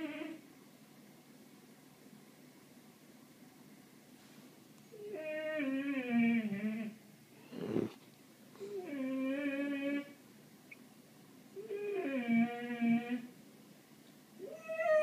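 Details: Ralph, a pet cat, calling while watching birds: three long, wavering, harmonic meows of about two seconds each, pitch bending up and down, with a sharp noisy burst between the first two in a quiet room.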